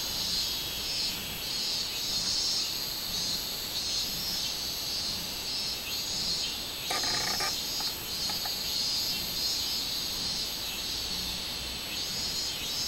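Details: Robust cicada singing on 24 July 2016: a dense, shrill, high buzzing chorus that swells and eases in soft pulses throughout, with a brief lower rasp near the middle.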